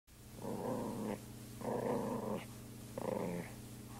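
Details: Poodle growling while playing with a person, recorded in 2001 indoors; three rough, rumbling growls of about three quarters of a second each, separated by short pauses, over a steady low hum.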